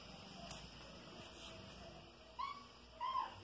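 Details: After a faint tap and quiet room noise, Soneca, a five-month-old insect-hunting kitten at home, utters two brief, thin mews in quick succession near the end.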